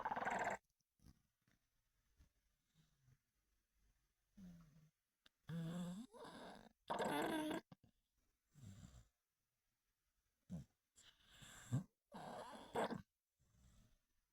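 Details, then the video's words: A male Olde English Bulldogge snores in rough, rumbling bursts separated by quiet pauses. "my old english bulldog buddy snore"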